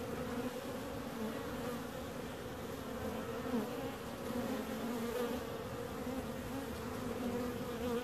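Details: Unbroken hum of many bees buzzing together, even loudness and gently shifting pitch bands throughout.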